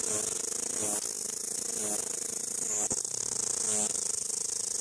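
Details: Headless cicada found lying on the ground, still calling with no head shortly before it stopped for good; a steady, dense high-pitched buzz runs through the whole recording, overlaid by lower pulsing tones.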